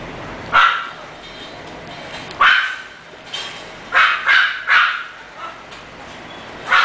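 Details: English Bulldog puppy at a breeder barking in short single yaps spaced irregularly, a quick cluster of three near the middle, with quiet pauses between.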